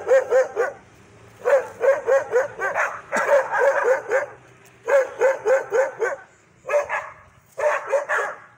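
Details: Aggressive dogs letting out fast volleys of barks, four or five per burst, in quick succession with short gaps, loud and harsh throughout.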